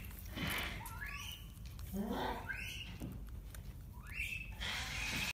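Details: An 8-month-old baby Japanese macaque (Macaca fuscata), curious about a Band-Aid on a keeper's finger, gives a series of high, rising, tonal calls, each sweeping upward.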